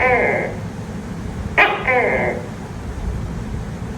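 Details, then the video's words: Tokay gecko heard at night giving a nasal, drawn-out call, then a sharp click followed by another croaking syllable, with a low steady hum underneath. "Tiếng tắc kè kêu trong đêm, âm thanh tắc kè kêu"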